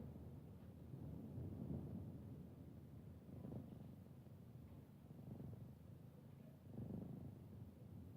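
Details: Kittens resting with their mother, giving a soft, low rumbling purr that swells and fades in slow pulses, quiet and steady throughout.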